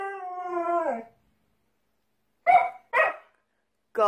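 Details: House dog gives a brief one-second howl dropping in pitch at the end, a pause, then two quick sharp barks and the start of a third.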